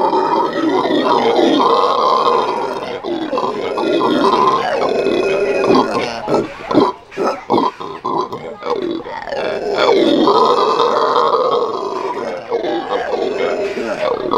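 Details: Morning howl of Venezuelan red howler monkeys at a zoo, a rough roaring chorus that comes in long surges, dips into broken grunting bursts around the middle, then rises again to a full sustained roar.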